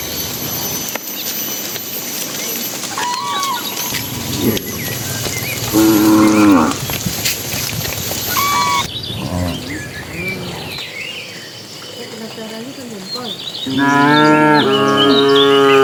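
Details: Herd of dozens of cattle driven by a herdsman into their pen as evening falls; several distant moos and lowing amid background noise, ending with a loud, long harmonic moo close by.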